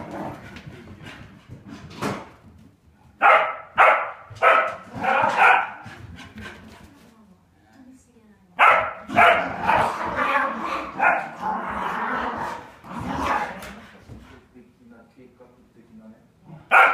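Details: Two Polish Lowland Sheepdogs play fighting indoors, with bursts of harsh growling barks and snarls in clusters, pauses between, and scuffling noises.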